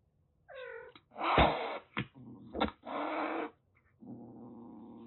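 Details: Rescued calico kitten, about six weeks old, in Kagoshima, Japan, threatening in a burst of defensive displays: a short mewing note, then sharp spitting hisses and a long rough hiss, ending in a low, steady growl.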